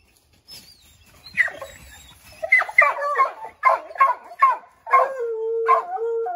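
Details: Group of Redbone Coonhounds treeing a chipmunk in an oak tree: a series of choppy irregular barks builds up, ending in a level, steady howl over the last second and a half.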